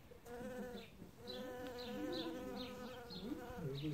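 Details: Bee gathering pollen at the start of spring among newly opened flowers: a steady, rich buzzing hum that wavers slightly in pitch, accompanied by short, high, descending bird chirps repeated every half second or so.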